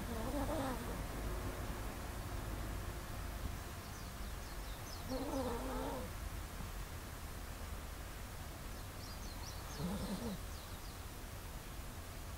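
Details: Kasumi, a pet Chihuahua, snores during a daytime nap. Three raspy, wavering breath-snores come roughly every four to five seconds over a steady low hum.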